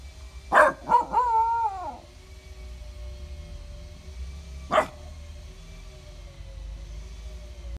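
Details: A Basenji dog "talking" with a warbling, yodel-like howl lasting about a second and a half, its pitch wavering. After a pause it gives one short, sharp yelp, with a steady low hum in the background.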